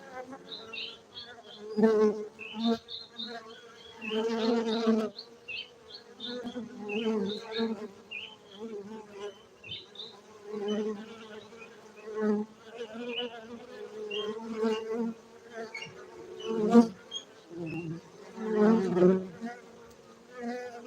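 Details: Honey bees at a bee farm in Bener Meriah, Gayo, Aceh, Indonesia, where honey is cultivated; a steady buzzing hum with a strong low drone and overtones, swelling and fading in loud bursts as bees fly near.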